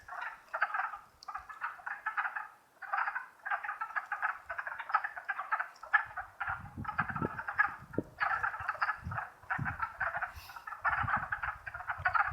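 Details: Dense spring chorus of wood frogs, Longkill Woods, April 2014: overlapping low, duck-like clucks form a continuous rattling mass in pulsing waves, with faint low rumbles underneath.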